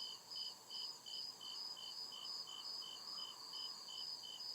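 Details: Crickets chirping at night in the deep woods: steady, evenly spaced high pulses, roughly two or three per second, over a layered continuous insect hiss and a softer, wavering lower hum.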